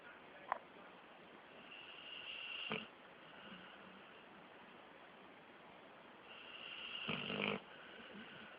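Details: A 13-month-old Pit Bull asleep with eyes mostly closed, snoring indoors; two loud rasping snores about four and a half seconds apart, each preceded by a faint high whistling breath.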